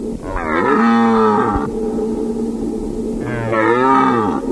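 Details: Deer giving two long, drawn-out, moaning calls, each about one and a half seconds, strongly harmonic with a slight upward bend at onset, separated by a steady background hum.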